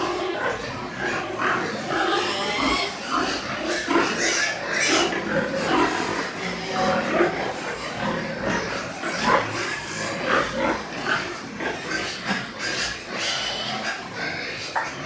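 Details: Pigs at a pig farm in Nepal, white pigs, with dense overlapping grunts and squeals throughout, steady busy farm noise and some voices mixed in.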